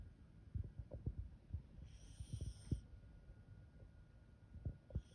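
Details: A Welsh Corgi taking a daytime nap snores in low, uneven rumbles and soft thumps.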